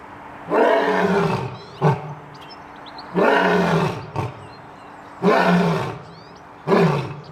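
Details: Lion roaring in a rhythm of long, deep, moaning roars, each followed by a short grunt, repeated four times over about seven seconds, with faint bird chirps in the background.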